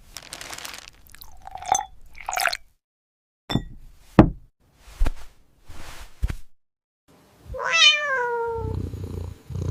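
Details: Domestic cat chewing noisily: scattered crisp crunches and smacking bites separated by silences, ending in a clear falling meow followed by soft low munching.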